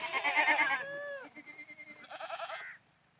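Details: Playing goats give a loud quavering bleat that drops at the end, followed by softer pulsed calls and a brief higher nasal bleat.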